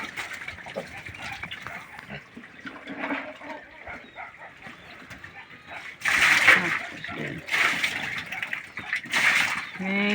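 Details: Native pig piglets being weaned from a pure native sow: loud, harsh broadband squeals burst out in the second half, several in quick succession, over a background of people talking and splashing water.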